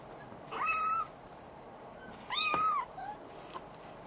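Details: Maine Coon kitten in Tokyo, Japan, growing more lively. Two drawn-out, plaintive meows with a level then slightly falling pitch come nearly two seconds apart. A soft click follows in an otherwise quiet indoor setting.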